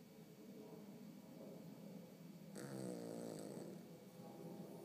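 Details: Winnie, a pet Yorkshire Terrier, snoring in her sleep: a rough, raspy breathing hum that swells midway into a louder, buzzy, harmonic snort lasting about a second before fading back to a soft rasp.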